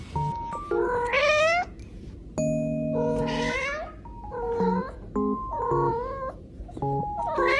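A domestic cat gives drawn-out, rising meows over steady background music.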